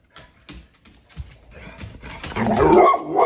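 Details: Pet pit bull male gets mad as his tail is grabbed: faint thumps and shuffling build into a loud, harsh, snarling bark-growl in the final second.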